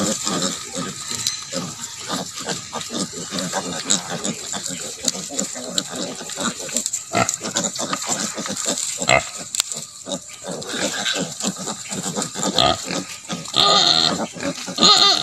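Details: Native pig sow with her piglets, left to develop natural mothering ability: a steady run of short, low grunts, roughly fifty a minute at an uneven pace, over constant hiss with a few faint voices.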